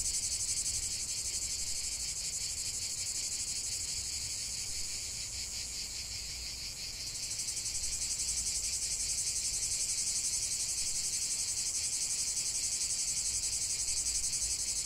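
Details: Cicadas in chorus in nature: a dense, continuous high buzzing drone with a fine rapid pulsing, steady throughout with a brief dip in intensity near the middle; no other clear sounds.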